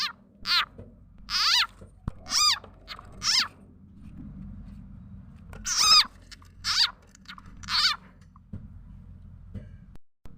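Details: Frog known locally as khiat chana or khiat mo, its sound used as a lure for catching birds, chickens and other fowl; bright, squealing, meow-like cries with rising-falling harmonics, given in short bursts about once a second, over a low background hum.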